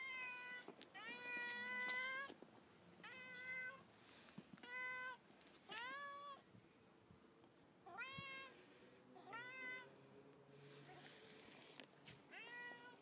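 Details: Mo, a pet cat, greeting its owner coming home at an apartment block: a run of about eight clear, rising-then-falling meows, one every second or so, with a quiet background.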